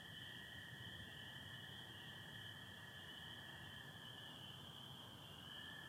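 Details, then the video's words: Spring peepers and American toads calling together at night in Michigan, 24 April 2025, with some overcast: steady high chorus of peeps and a lower droning trill holding level throughout, with rumbling low background sound. "Sounds of spring peepers and american toads"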